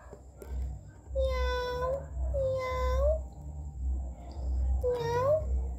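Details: Pet domestic cat introduced as a household mascot gives three clear, drawn-out meows, each tone steady then sliding upward at the end, spaced about two seconds apart over a low background hum.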